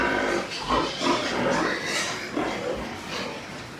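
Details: White farm pigs in Nepal grunting and squealing in rapid, uneven bursts, roughly two or three a second at first, against continuous background noise.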